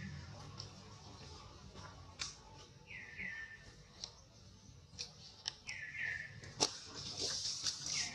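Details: Old monkey crying loudly after being hurt: two drawn-out, tonal cries that jump up and then slide downward, about three seconds apart, amid clicks, rustling and handling noise.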